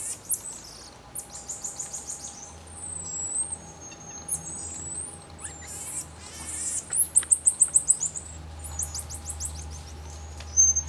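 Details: Common marmoset with rapid high twittering: clusters of short, sharply modulated chirps, a few thin whistles, and a fast burst of about ten clicking notes, over a low steady hum.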